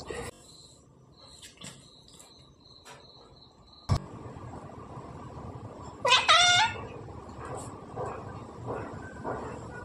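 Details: Domestic cat giving one short, harmonically rich meow about six seconds in, slightly wavering in pitch, after scattered clicks and a sharp knock near four seconds, over steady low background hiss.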